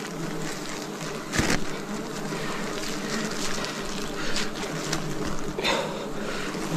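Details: Steady droning hum of many wild bees at a forest honey harvest, 2026, with layered low buzzing tones and a few sharp knocks and scrapes from the harvesting work.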